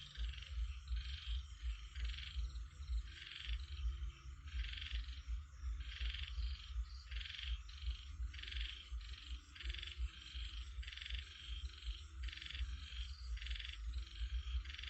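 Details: Frogs calling, heard as if lying and listening at rest: rasping pulsed croaks repeated in quick bursts about twice a second, steady and overlapping throughout, over a constant deep low rumble.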